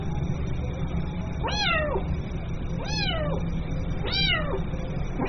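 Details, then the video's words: Kitten crying for its mother: three evenly spaced, high arching meows about every 1.3 seconds, followed by the start of a fourth, over steady low-frequency noise. "SUARA ANAK KUCING MEMANGGIL INDUKNYA"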